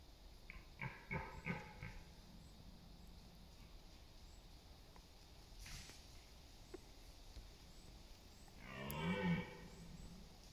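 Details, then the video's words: Red deer stag in the September rut in East Serbia's autumn forests, contesting dominance and mates: three short hoarse grunts early on, then quiet, then one brief rough roar near the end. "Roar of the Wild: Deer Rutting Season in Serbia’s Autumn Forests"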